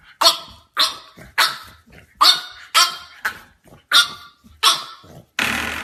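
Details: Bright, rasping barks from French Bulldog puppies come in a steady run, about one every half to three quarters of a second, ending in a burst of broadband noise.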